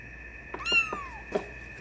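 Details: Single drawn-out mew from a 24-day-old silver tabby and white male Maine Coon kitten, rising then sliding down, followed by a faint rustle over a constant indoor hum.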